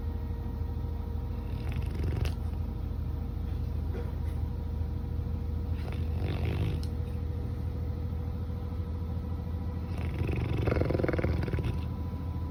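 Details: Coco, a pet Labrador Retriever, snores in sleep and seems to be having a bad dream; rough, breathy snores come roughly every four seconds, the last one longer and louder, over a steady low electrical hum.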